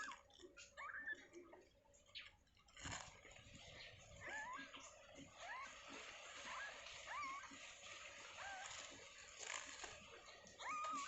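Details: Newborn kittens in their enclosure moments after birth, giving thin, high mews that rise and fall, repeated in a loose series through the clip, over rustling, scraping and handling noises.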